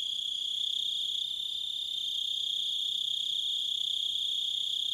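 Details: Crickets in a nature recording, a constant high shrill trill with faint upper bands, a slight dip in loudness near the second mark, with no other clear sounds.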